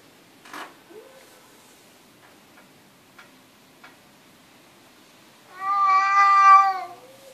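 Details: Domestic cat indoors: a quiet stretch with a few soft taps and clicks, then one loud, full, rich meow lasting about a second and a half near the end, slightly rising then easing off.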